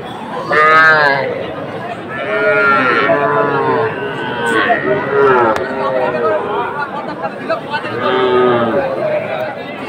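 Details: Cattle at a livestock market in Manikganj, Bangladesh, on 30 November, where small bull and heifer calves are being bought. Several drawn-out, harmonic bawling moos rise and fall one after another over steady human chatter and crowd noise.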